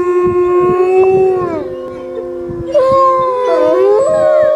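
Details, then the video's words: Research wolf howling, drawn-out tones with overlapping voices held steady then sliding; a second howl enters near three seconds, wavering and bending in pitch, over faint low rumbling. "Nature's greatest song: Pukak howling."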